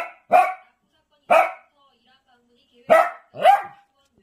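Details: Pet dog protesting because its owner is eating alone: four short, sharp, yelping barks at uneven intervals, the last two close together, with silence between them.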